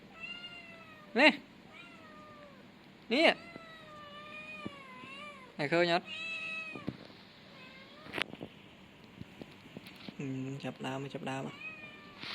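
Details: Young male kitten giving short, loud meows about two seconds apart, then a longer wavering cry, with steady music tones running behind and a person talking in Khmer near the end.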